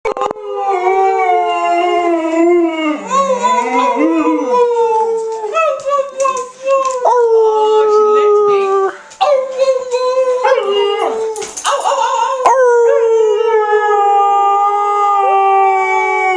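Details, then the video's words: An Alaskan Malamute howls along with its owners in long, wavering, drawn-out tones that rise and fall. "Alaskan Malamute Howling"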